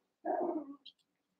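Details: One-month-old Cavalier King Charles Spaniel puppy among eight littermates playing in a pen: a single short, harmonic bark-like yelp that falls slightly in pitch, followed by a faint high squeak, with silence around it.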